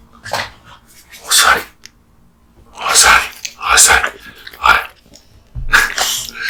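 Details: Crunching and gnawing from Kotetsu, a male American Bully dog, devouring raw meat and bones. Irregular, sharp bursts of bone-cracking noise with a pause in the middle, then several more bites in quick succession.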